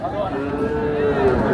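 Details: Bull at the Ambari cattle market in Parbatipur, Dinajpur, Bangladesh, giving a steady, drawn-out low moo over a busy background of crowd voices.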